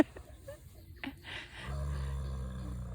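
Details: Harmony, a horse, lying down on the ground and making a growly snore: a deep, rough rumbling drone sets in about halfway through and holds steady, after a human voice and laughter.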